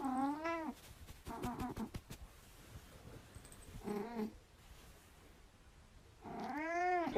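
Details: A domestic cat meows three times. The calls are drawn-out and arched, rising then falling in pitch. A shorter meow comes in the middle, and a burst of clicking taps falls between the first two calls.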